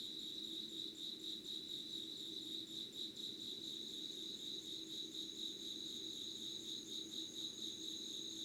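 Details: Pre-dawn insect voices from Yugawara town, Kanagawa, Japan, filmed 25 August 2019 at 05:00 with candlelight: steady high pulsed trilling, pulses quick and regular, plus a thin continuous whine above and a dull low hum.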